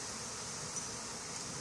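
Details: Honey bee swarm being captured on May 3, 2016, returning to a hive that had been absconded the month before; a steady, dense hiss-like buzzing fills the air without pauses.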